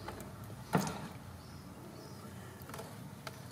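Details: Quiet indoor background hum with one sharp knock near the start and a few faint clicks later, with no animal voice.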